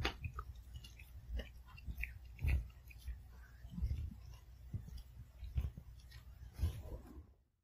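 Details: A Pomeranian eats its kibble one piece at a time, chewing each carefully and noisily, with soft crunches and wet bites at an irregular pace.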